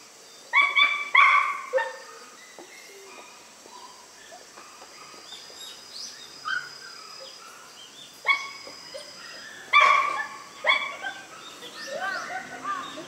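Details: Newborn white Miniature Schnauzer puppies born on September 3 give short, high, squeaky yips and whimpers in scattered bursts, some paired, with quiet gaps and faint rustling between.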